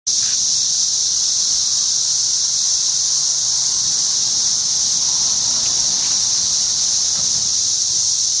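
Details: Cicadas outside a house, a steady loud high-pitched shrill drone that holds unbroken and even the whole time, with no other clear sounds.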